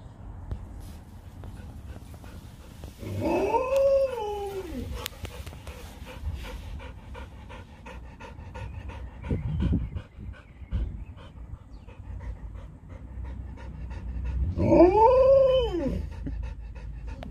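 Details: Leonberger playing with a Labrador, two dogs play fighting: two drawn-out whining howls that rise and fall in pitch, each about a second and a half long, with quieter scuffling and panting between them.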